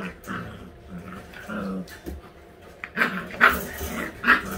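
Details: Eight-week-old all-white Husky puppies at playtime, growling in short low rumbles that run into sharper high yips and squeals in the last two seconds, and the bursts come irregularly over a scuffling background.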